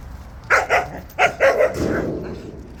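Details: Jindo dogs on a walk bark in a short, rapid run of five or six punchy yaps, the last one trailing off, with low background noise.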